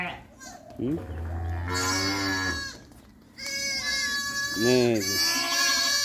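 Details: Sheep (gaarol) coming home from pasture on a farm, called in by a man: wavering, nasal bleats, one long and one shorter, mixed with his calling voice.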